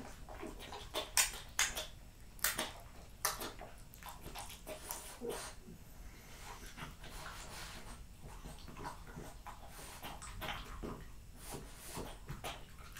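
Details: Jessica, a French Bulldog, eats raw lamb cutlets, beef schnitzel and BBQ pulled pork indoors and finishes her plate. Wet smacking and crunchy clicking bites, with a burst of louder crunches early on, then steady chewing.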